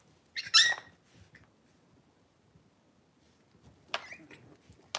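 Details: Blenheim Cavalier King Charles Spaniel puppies, a litter of five born on New Year's, indoors in their home puppy pen after moving to a bigger pen; a sharp high yelp near the start, then quieter short yips toward the end over near silence.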